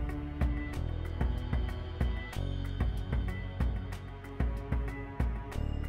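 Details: A rhythmic instrumental soundtrack with heavy bass and regular beats plays throughout, and no animal can be heard.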